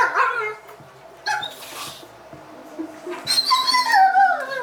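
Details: A dog being vocal while playing with another dog: a short whine at the start, a few scattered yips, then a rising, wavering whimper building in the last seconds.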